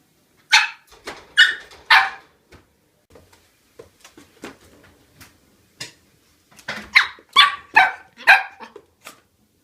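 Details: Shetland sheepdog puppy, up to five months old, barking indoors: sharp high yips in bursts, three quick barks, a pause with small soft sounds, then a run of five or six rapid barks.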